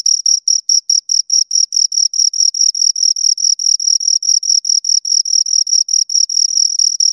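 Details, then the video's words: A pair of crickets keeps up rapid, regular chirping: bright, high pulses about four each second, slightly blurring together toward the end, in otherwise quiet surroundings. "Two Crickets Chirp Sounds"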